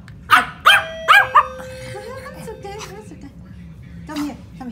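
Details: Female Pomeranian barking in alert at a ringing doorbell indoors: four sharp, high yapping barks in quick succession, then quiet, over a sustained chime tone and a woman's soothing voice calling the dog over.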